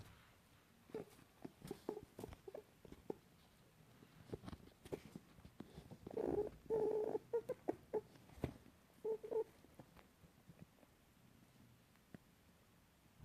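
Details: Angry female pet rabbit in a cage, meeting other bunnies for one of the first times; quiet indoor recording of short low grunting bursts and clicks, some with a faint tonal squeal, clustered irregularly, louder around the middle.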